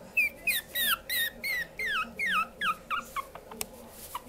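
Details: Female puppy whining in a series of about a dozen high, downward-sliding squeals, roughly three per second, over a low steady indoor hum with one sharp click near the end.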